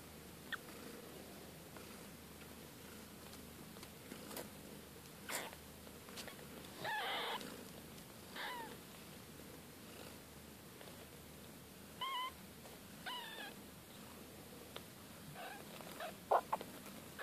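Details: Siberian cat kittens from a litter born to Kate and Bessie, growing fast, give a few faint, high, thin mews around seven, twelve and thirteen seconds, some bending up then down, over a low room hum with scattered soft clicks and rustles.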